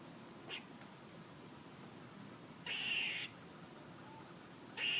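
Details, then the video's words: One brief chuck from a squirrel, then two drawn-out, raspy, buzzy calls about two seconds apart. "A squirrel making noises"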